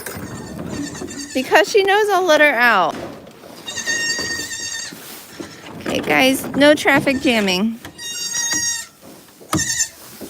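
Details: Farm goat bleating loudly twice, each call a wavering, tremulous cry that sweeps downward in pitch, with human talking and softer background sounds in the pauses between calls.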